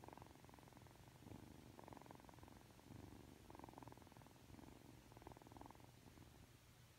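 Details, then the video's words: Aki, a three-month-old Ragdoll kitten, purrs affectionately just after waking up: a steady rumbling purr that swells in rhythmic breathing cycles about every one and a half seconds, with a soft indoor background hiss. "[Ragdoll cat] 잠에서 막 깨서 애교부리는 아키💕 寝起きで愛想をふるまうあき！(랙돌 생후 3개월)"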